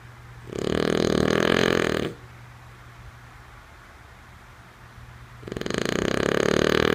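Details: Snoring of a sleeping female French Bulldog: two drawn-out, harsh, throaty snores roughly three and a half seconds apart, each about one and a half seconds long, separated by a quiet stretch with a faint steady hum.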